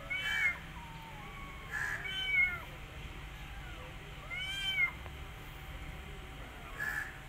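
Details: Rescued mother cat tending her own kittens and an adopted kitten; clear high, arching meows repeat in short bursts about every two seconds, some doubled, over a quiet background hum.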